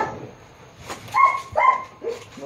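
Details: Japanese Akita filmed at a shoot in Baguio City on October 21, 2023, producing two clear ringing barks half a second apart, followed by a softer third bark, over low background noise.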